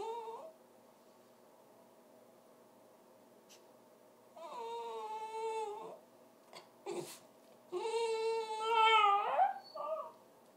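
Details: A dog making funny noises: three drawn-out, moaning whines with rich overtones. The first is short, the second held for about a second and a half, and the last rises and bends upward at its end, with brief clicks between them.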